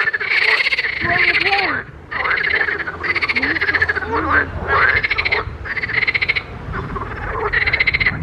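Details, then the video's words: Frogs in a pond calling in a dense chorus: harsh, pulsed croaks in bursts about a second long, repeated with brief gaps, plus lower bending notes underneath. "grenouilles chantes croasses leurs mélodies des grenouilles dans un etand d'eau"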